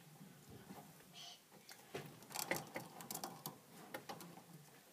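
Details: A hamster eating indoors, its feeding loud enough to hear: dense bursts of sharp, dry crackling clicks, thickest in the middle seconds, over a faint low room hum.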